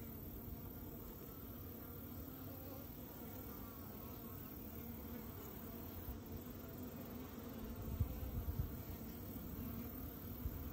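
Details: Bees around a queen as she lays an egg in the hive; a steady, low droning hum runs throughout, swelling briefly into louder buzzing bursts near the eight-second mark.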